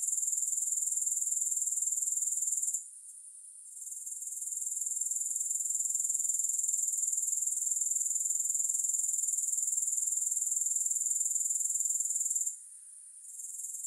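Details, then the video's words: Grasshoppers producing a thin, high, pulsing trill about four beats a second, twice briefly fading to near-quiet before swelling back. "3 Hours of Grass Hopper Sounds"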